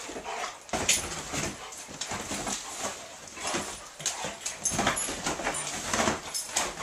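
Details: Two Otterhounds, Rocky and Rosie, wrestling in play: bursts of rough, breathy scuffling and panting noises rise and fall, with no clear barks.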